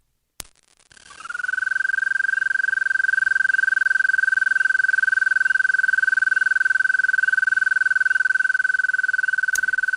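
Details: An American toad gives a long, sweet, high trill that rises briefly, then holds one steady pitch.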